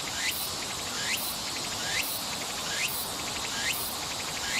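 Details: Summer song of a tsuku-tsuku-boshi cicada, Nishi Park, Sendai City, Miyagi Prefecture, Japan, 14 August 2014: rhythmic rising scraping phrases, about one per second, each ending in a brief upward sweep, with constant shrill background hiss.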